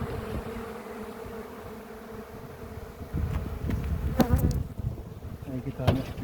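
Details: Honey bees at a hive checked for the queen after honey harvest in a village near Ceyhan, the colony described as aggressive; a low, steady droning hum fills the clip, with handling knocks and clatter near the end and a man talking softly.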